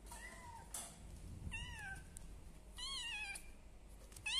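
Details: Kittens about one month old, from a litter of three among a village cat and a Persian cat, give four high, thin meows, each sliding gently downward and spaced roughly a second apart over a quiet room background.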